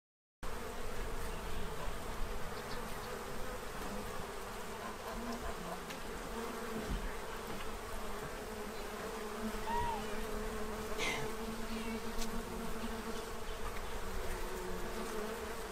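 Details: Bees in Central Illinois feeding from a tray to prepare for winter, a dense, steady buzzing drone of many insects holding level throughout, with a brief faint bird note partway through.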